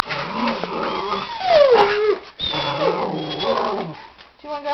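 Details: Five-year-old female Papillon dog yodeling, eager for her walk: wavering, harmonic howl-like tones that slide down then rise again, broken by a short pause, with a person's voice mixed in.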